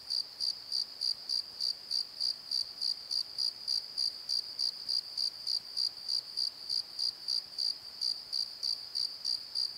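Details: After dark in a valley bottom by a tree, crickets call in a long, regular series of shrill chirps, around three per second, the rhythm holding steady for ten seconds with little else audible.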